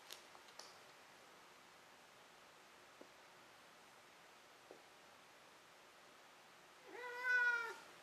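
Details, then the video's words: Pet cat indoors, having chased and caught a toy, stays mostly quiet with a few soft taps, then gives one loud, drawn-out harmonic meow near the end. "鳴くねこからの眠りねこ。-Meow Meow"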